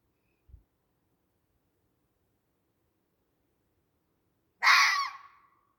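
A fox gives a single harsh, raspy call, rough and broadband, trailing off.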